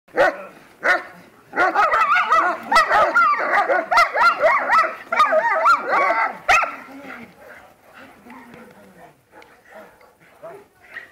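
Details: German Shepherd in protection training, barking in a rapid, dense volley of harsh repeated barks for about five seconds, then trailing off into softer, scattered barks and whines; a human voice is heard in the background.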